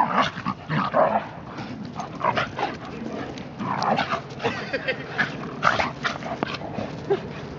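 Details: German Shepherd puppy Achilles, 12 months old, wrestles with Hilo, a 14-month-old Shiba Inu. Sharp yips and rough play noises come in bursts every second or so, while a person urges one dog on.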